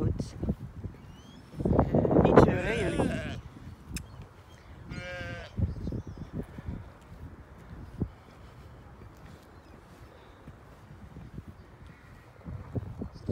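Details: Ewe and lamb being fetched: a wavering, quavering bleat rises briefly among talking, then a second shorter bleat follows, with footsteps and rustling through the rest.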